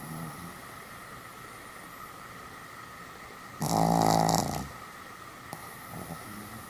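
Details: Pomeranian named Sam, deeply asleep, recorded 1 November 2015: a quiet stretch broken by a single loud, buzzing snore lasting about one second, followed by a small click and faint breathing in a quiet room.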